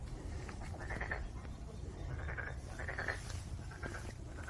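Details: Black-spotted pond frog croaks come as short, separate rattling bursts about every second, quieter and set against a strong low rumbling background noise.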